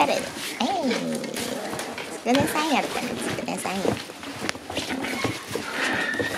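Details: Shiba Inu puppies arriving at daycare and playing wildly indoors; rapid rising and falling whines and yelping growls overlap in bursts, with people talking throughout.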